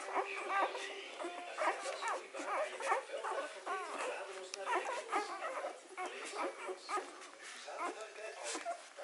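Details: Three-day-old Hovawart puppies while suckling: thin, arched squealing whimpers repeated over and over among soft smacking sounds, with a faint human voice in the background.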